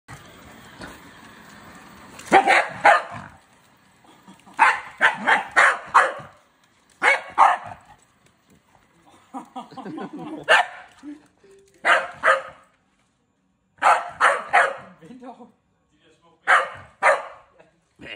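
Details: Scottish Terrier barking at a EUFY robot vacuum indoors: sharp, loud barks in quick clusters of three to five, each burst broken by short pauses, with a faint voice in the background.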